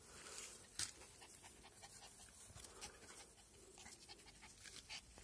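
Cairn Terrier puppies make soft, rapid panting and snuffling sounds, a steady run of breathy hisses. One brief, sharper squeak or yip stands out early on.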